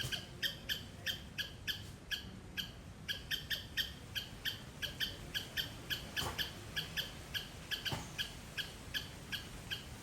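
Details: A squirrel in a garden in Sri Lanka gives loud, sharp chipping calls, repeated rapidly and steadily, several per second.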